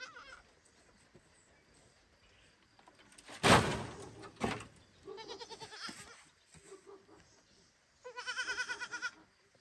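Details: Baby goat on a farm loudly calling for its mother near a barn: two quavering, harmonic-rich bleats, the second held about a second, after a loud rustling burst of noise.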